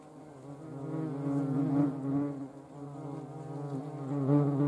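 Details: Hornet in flight, spraying urine mid-air and flinging ants away; a steady low droning buzz that swells and fades as it moves about, with no other sounds.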